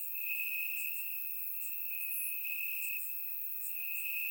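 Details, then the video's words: On a warm summer night in Bulgaria, crickets trill from the grass, recorded in surround sound: one nearly unbroken high, even trill dominates, with faint rapid chirps of further crickets above it. "Cricket Sounds - Crickets Chirping at Night"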